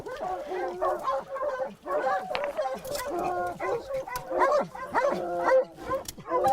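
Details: Pack of hunting dogs barking hard at a cornered leopard that has just moved. Sharp, ringing barks come in irregular bursts of about one per second, with several dogs overlapping and faint voices underneath.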